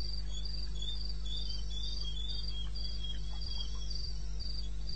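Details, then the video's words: Night chorus of crickets in the eastern Botswana wilderness, 2:30 AM, 21 May 2016: high, evenly spaced pulsed chirps about four per second, a lower trilling caller beneath, with low background hum and a few soft knocks. "1 Hour cricket sound-Africa-No loop-Real recording"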